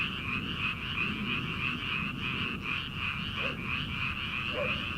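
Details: Early-summer paddy frogs before transplanting season, heard as an unbroken wall of quick, rattling croaks repeated about three times a second, with a couple of brief lower notes near the end.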